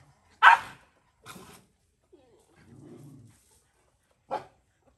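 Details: Mother stray dog in Cambodia guarding her puppy while a boy feeds it: one loud sharp bark, a softer second bark, a low drawn-out growl, then a final bark.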